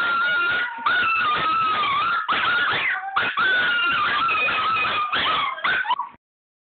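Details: Excited Chihuahuas whimpering about going to see grandma: sustained, wavering high whines and howly cries run almost without break, with a few sharp yips before the sound cuts off.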